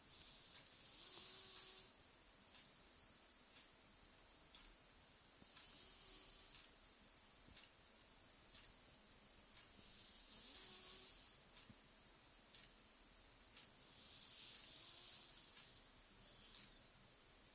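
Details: Rosie, a sleeping cat described as dreaming, snoring softly indoors: breathy, hissing exhalations arriving about every four to five seconds over a faint steady room hiss.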